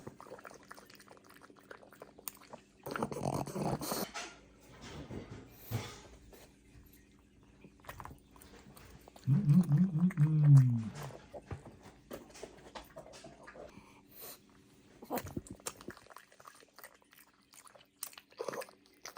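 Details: Pug eating cucumber as a treat indoors: irregular crunchy chewing and biting bursts, with a short low, moaning grunt partway through, then quieter munching in a small room.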